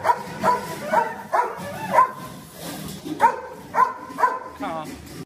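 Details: Presa Canario called Xuanfeng, a very thin dog being given medicine by its owner, barks in short deep bursts repeated roughly twice a second, two runs of barks separated by a brief pause, with a voice talking underneath.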